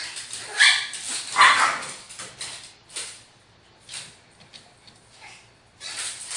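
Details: Two small pet dogs compete, Cho Cho the Toy Poodle and Mimi the Cavalier King Charles Spaniel, while Gingi the Japanese Chin sits terrified beside them: two loud high barks close together, then softer spaced yaps and a final bark after a pause.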